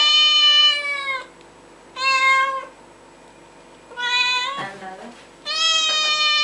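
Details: Kitten or cat meowing loudly and insistently, four long, steady, high-pitched meows separated by short pauses, one broken by a brief lower sound, in a quiet room.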